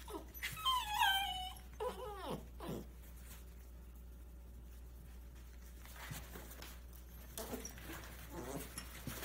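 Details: An 11-week-old Scottish Terrier puppy in a box gives a few high, wavering whimpers and whines early on, then goes mostly quiet with soft rustling and a low steady hum indoors.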